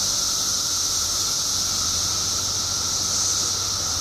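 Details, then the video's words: Periodical cicadas, billions strong after a 17-year underground wait in Illinois, fill the air with a seamless, piercing hiss and a sustained lower whine, plus a faint low hum. "Billions of Periodical Cicadas Emerge After 17 Years Underground Cicadas Making Noise"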